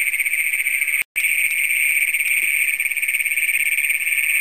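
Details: Night chorus of Great Plains toads in Brown County, Minnesota, June 27, 2010, among the county's first documented, filmed on a Canon PowerShot SX100. A sustained, high, buzzy trill fills the recording, cut by one brief dropout.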